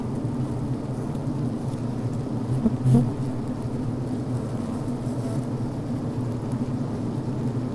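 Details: Inside a healthy honey bee hive on the brood frame, a thick, constant low hum of venting and comb-building workers, with a brief louder swell about three seconds in.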